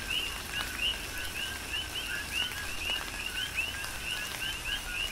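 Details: Rhythmic chorus of coqui frogs recorded in tropical rain on Hawaii's Big Island: crisp, rising two-note chirps overlap continuously, several nearby callers standing out above a wash of rain patter and soft low-frequency rumble.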